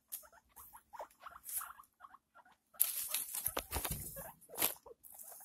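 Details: Guinea pig kept as a pet, giving birth to six young: clusters of short, quiet squeaks in the opening seconds, then drowned by heavy crackling rustles of bedding and movement.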